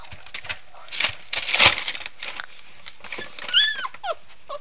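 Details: Weimaraner mother Asha with her lively pups, which have puppy teeth, eat solid food and now sleep outside the whelping box; rustling and clicking indoors, then a few short rising-and-falling whines near the end.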